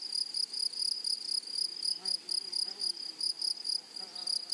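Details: Grasshoppers in a wild flowery meadow giving loud, high, buzzing chirps in quick bursts about four per second, with soft low murmuring sounds faint beneath.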